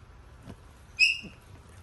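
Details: Newborn Miniature Pinscher x Chihuahua mix puppy, a female from a first-time mother's litter, born indoors during labor. One brief, high, thin squeak with bright overtones cuts through quiet room noise, framed by soft, faint knocks.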